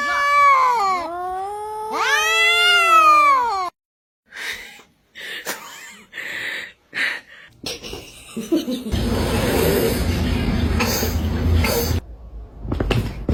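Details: Indoors, an angry cat yowls in two long, drawn-out, wailing arcs that bend up and down in pitch, followed by quiet gaps, scattered knocks and a burst of rough, noisy scuffling.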